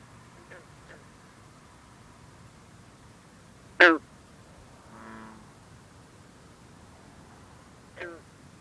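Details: One loud, snapping twang from a green frog, also known as bronze frog, stands out against quiet water at night, followed by a softer droning note and a second fainter pluck; mist over the pond, cool air in the 50s.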